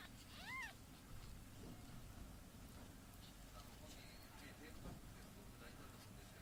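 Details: Tiny kitten, said to be smaller than the palm of a hand, gives one high, rising-then-falling meow early on, followed by quiet with a steady low rumbling background noise.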